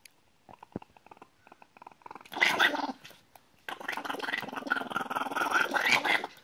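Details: White Chihuahua in a blue and black vest, carried by its owner, screaming: bursts of harsh, raspy yelping with a buzzy, growling texture, a short pause, then a longer sustained run of strained cries.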